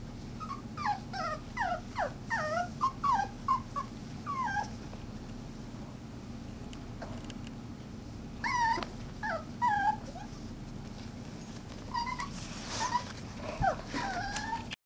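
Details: Chihuahua puppies whimpering and yipping: a fast run of high, wavering whines with harmonics in the first five seconds, a pause, then further bursts of short squeaky whimpers near the end over a steady low hum.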